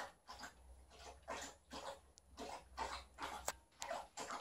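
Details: Liza, a female Alaskan Malamute, plays with her old fish toy indoors while her aunt visits during shedding season. She pants in quick, breathy, evenly spaced huffs, with a faint steady hum behind her.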